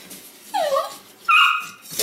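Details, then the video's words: A Weimaraner pup from the Indigo and Magnum litter gives two clear, thin whines about a second apart. The first bends downward and the second holds level and strong, with quiet room noise between them. "Great Weimar pups!"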